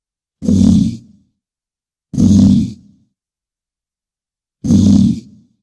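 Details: Deep, low bison bellows, three rough grunting roars of about a second each with gaps between them, breathy hiss over a heavy rumble, clean background.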